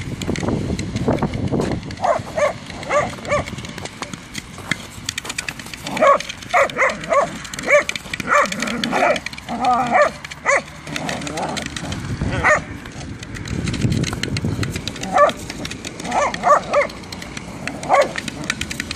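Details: Jack and Ray, whippets playing football, let out clusters of quick high yips and barks, most densely in the middle and again near the end, amid running feet, ball knocks and occasional talk.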